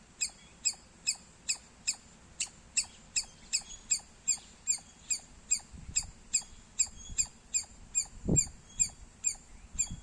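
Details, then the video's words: Squirrel chirping loudly: short, sharp, high-pitched chirps repeated steadily about two to three times a second over a faint low rumble, with a brief dull thump near the end. "Loud Squirrel Sounds -squirrel chirping Sounds Loud"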